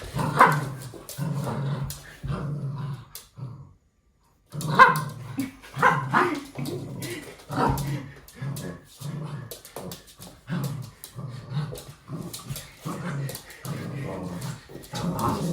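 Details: A red toy poodle playing with his owner makes a run of low, throaty grumbles and growly yips, with brief pauses between bursts.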